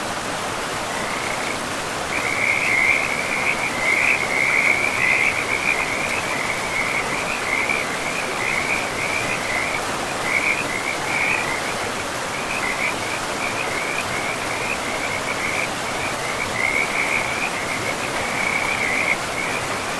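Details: Frogs calling beside a river in a pristine, moss-covered forest: a dense, continuous chorus of rapid pulsed trills that overlap and swell in clusters, carried over the steady broadband rush of flowing water.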